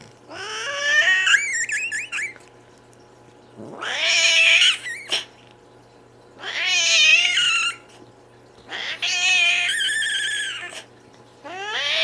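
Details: Cat squeaking, with hissing and growling, in a small indoor room: about five separate drawn-out squeals, each rising then wavering and falling, with strained harmonics, spaced by short silences.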